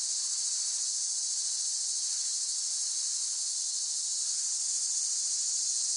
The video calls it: เสียงจักจั่น ฟังเพื่อผ่อนคลาย (Cicada Sound Effects)【セミの声】